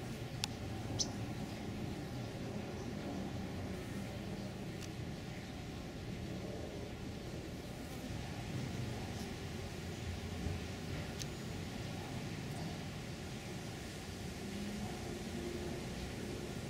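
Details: A honey bee swarm settled in a Meyer lemon tree in a backyard in Los Angeles, late February 2017, gives a steady, low droning hum with a few sharp clicks over it.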